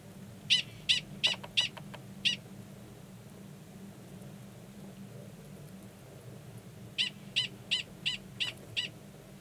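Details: Mating call of male Gunnison's prairie dog 45 in Valles Caldera National Preserve, New Mexico, March 2017, with a female waiting belowground; a burst of five piercing chirps, a long silent gap, then seven more.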